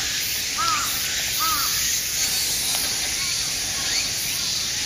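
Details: Cicada chorus in a park, Aoba-no-mori Park, recorded 6 September: dense steady high hiss filling the upper range, with crow-like arched calls repeating about every second in the background.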